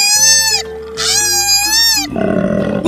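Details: Koala. A koala calls in loud, harsh, nasal squeals that waver in pitch, in two long bursts and then a rougher one. Quiet background music plays beneath.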